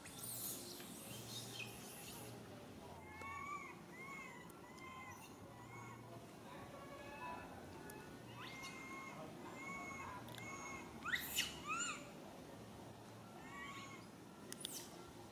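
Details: Little monkey Lily crying for its mother: a run of short, arched, whining notes with clear harmonics, repeated rapidly in bursts, with a steady low hum and a few sharp clicks in the background.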